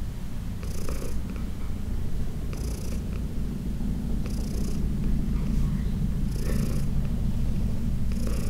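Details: Heidi, a 14-year-old senior domestic cat adopted from the Humane Society of New York City, purring during a massage: a steady low continuous rumble, with soft brushing or rubbing noises every couple of seconds.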